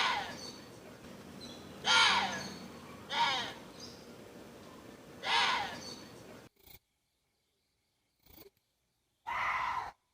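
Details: Water deer calling: harsh, hoarse screams with falling harmonics. Four separate cries come at uneven intervals of one to four seconds over a low background hiss, with brief silent gaps between them.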